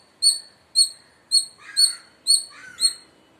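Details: Six sharp, high chirps from an Indian palm squirrel, spaced about half a second apart. Lower, warbling bird-like notes overlap some of the later chirps.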